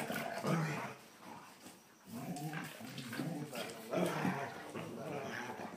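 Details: Two German Shorthaired Pointers, younger male Copper pestering older Zoie, give low grumbling growls and whiny vocal bursts while a person talks.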